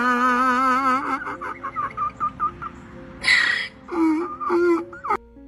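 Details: A rescue donkey, previously silent for years, suddenly brays loudly in the evening in a run of harsh, pulsing notes, with a wavering tone at the start.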